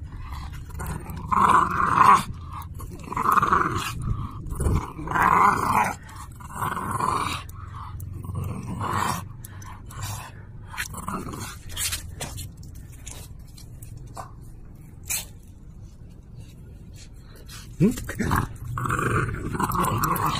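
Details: French Bulldog at play, wanting to be teased and tussling over an object indoors; low rough growls come in bursts of about a second, strongest early and again near the end, with scuffling and clicking sounds between them.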